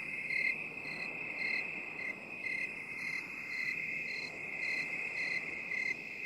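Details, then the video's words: Crickets in a binaural 8D recording made for relaxation: a steady high trilling drone with shrill chirps pulsing about twice a second over a soft hiss. No other sounds. "3 HOURS OF 8D CRICKET SOUND"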